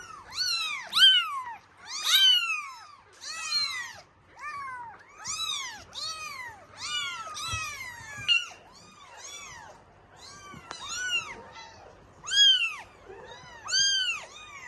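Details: Norwegian Forest Cat kittens at a breeding cattery clamouring for milk: a steady run of high, arched meows, several kittens overlapping, about one call every second or so, each rising then falling, with short quiet gaps indoors.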